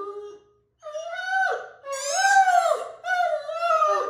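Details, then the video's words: Mikey, a harlequin Great Dane, gives his happy daily howl. A brief steady note, a short pause, then two long, wavering, richly harmonic howls that rise and sag at their ends before breaking off. "Howling Harlequin Great Dane"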